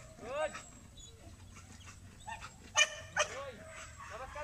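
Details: Belgian Malinois in urban search and rescue training on rubble, giving aggressive indications: short harmonic barks and yelping whines, with a loud sharp double bark about three seconds in, while people talk nearby.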